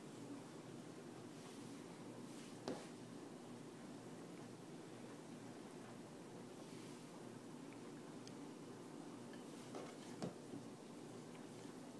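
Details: Quiet indoor hiss with a few soft rustles and clicks, and no clear animal voice.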